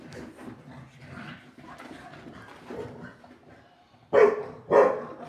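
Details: A Shar Pei and a Boston Terrier in their nightly after-dinner play session: a long stretch of low, rough growling and grumbling noises, then two loud, abrupt barks close together at the end.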